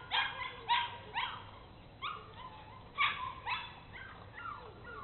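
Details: Cape Bernese Kennel Bernese Mountain Dogs Mrs. Red and Mr. Green, out exploring, give short bright yips and small barks in uneven bursts, roughly every second, with a fainter falling whine between them.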